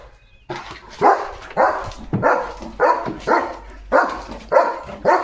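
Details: Leo, a German Shepherd pet dog who stands at the gate guarding the house day and night, barks in a steady run of about eight loud, rough woofs spaced roughly half a second apart, with a faint low hum behind.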